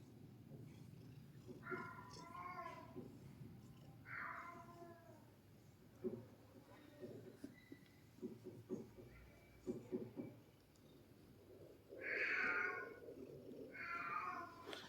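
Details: Domestic cat meowing several times, short bright nasal calls spaced a few seconds apart, with a person talking softly in between and faint household sounds.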